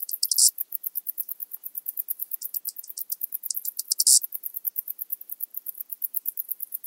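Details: Grasshopper song recorded at Zalahalap, Hungary, 18 July 2022: insistent high-pitched ticking repeated rapidly throughout, with intense scraping bursts at the start and near four seconds.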